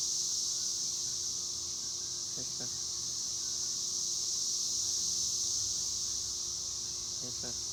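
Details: Cicadas (chicharras) keep up a steady, high, hissing drone in the afternoon, with brief human voices cutting in twice.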